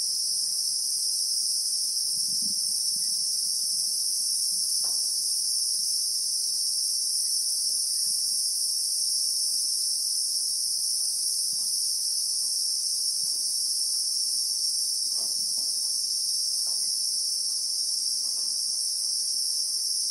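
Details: Christmas beetle (Anoplognathus) in South African bushveld with acacia trees, recorded in real time: a steady, unbroken high-pitched shrill drone in two layered bands, with faint low thumps and scattered soft clicks beneath.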